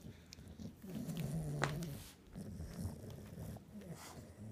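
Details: An English Bulldog playing with a ball gives low, rumbling growls in uneven bursts, one held steady growl near the middle, with faint handling noises around it.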